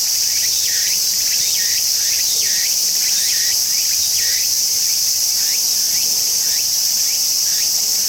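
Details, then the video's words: Tsukutsukuboshi cicada song with clear, regular, swooping dipped phrases repeated roughly twice a second, set against an unbroken shrill high buzz, the phrases growing fainter toward the end. "セミの鳴き声 ツクツクボウシ"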